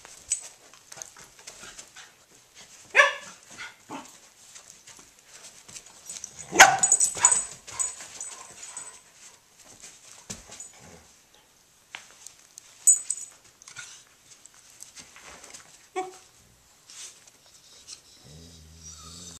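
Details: Playful tussle among pet dogs: Pinot the Corgi taking on Haro the husky, with Federer joining. Scattered harsh barks and growly bursts, the loudest near the middle, break through clattering, scrambling movement and hiss.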